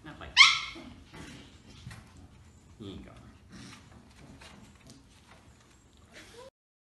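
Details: Samoyed puppies summoned to play by rhythmic thumping, indoors; one sharp, high yelp bursts out early, followed by soft low grunts, scuffling and faint yips that trail off.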